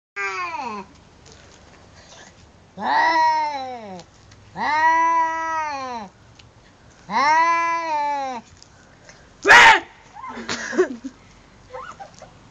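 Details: Domestic cat meowing in long, drawn-out wails that rise then fall, four calls a few seconds apart, followed by a sharp burst and softer short sounds, with a person speaking afterwards.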